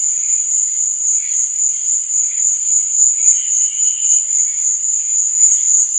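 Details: Nighttime crickets give a steady piercing trill that beats in soft rhythmic pulses, while weaker, lower-pitched chirps from other crickets flicker underneath.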